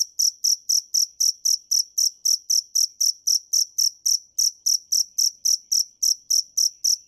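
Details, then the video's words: Cricket (dế mèn) giving a bright, shrill chirp, each pulse sharp and ringing, repeated close to four times per second at a slightly uneven pace, nothing else audible. "Tiếng dế mèn hay nhất 2017 - The crickets - Cricket"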